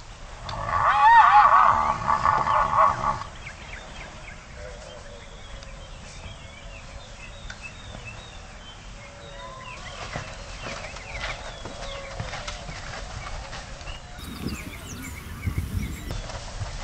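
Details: Two wild Konik horses fighting in the Oostvaardersplassen wetland reserve, Netherlands: a loud, wavering harmonic squeal for about three seconds, then quieter background with scattered short bird-like chirps and outdoor noise.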